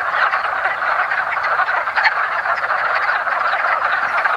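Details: Early spring mating chorus of wood frogs at a woodland pond: many overlapping short, raspy clucks merge into a constant chattering din, with a few louder individual croaks standing out.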